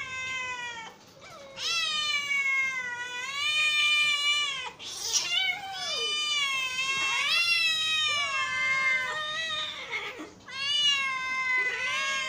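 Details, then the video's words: A hungry pet cat delivers loud, drawn-out, almost wailing meows with a nasal tone, calls running nearly continuously with only brief breaks between them. "hungry cat sounds"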